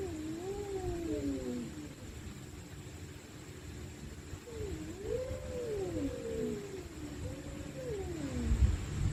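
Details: Stray cats at night growling and wailing during a fight: low, undulating moaning yowls repeated in three waves, fairly quiet under a steady rumbling background noise, a thud at the end.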